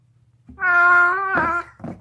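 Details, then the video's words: Deaf domestic cat screaming while gnawing on a bone indoors, unusual for it; a loud, drawn-out harmonic wail holding steady for about a second, breaking into a rougher second burst, then a short final yelp. "Screaming cat gnawing on a bone makes funny noises"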